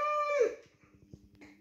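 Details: Siberian Husky named Baikal 'saying mama' while asking to go outside, indoors in a small room: one brief, clear, tonal vocalization sliding downward for about half a second, then faint thuds and low human voices.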